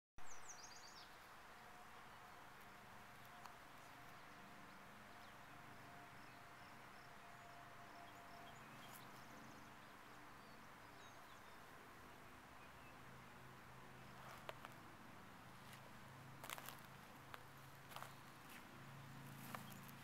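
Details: Bees among flowers, a low steady hum with faint harmonic bands lasting throughout, very quiet against soft outdoor background noise, with a few brief high bird chirps and clicks near the end.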